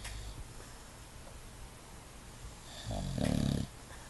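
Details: Sleeping English Bulldog with its eyes open gives a single low, rattling snore near the end after a quiet stretch of soft breathing in a small room.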